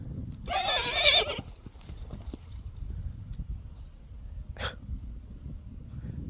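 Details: Friesian horse, kept domestically, angry with a newly arrived horse companion: a loud, harsh, squealing whinny lasting about one second, then a brief sharp burst, over low thuds and rustling.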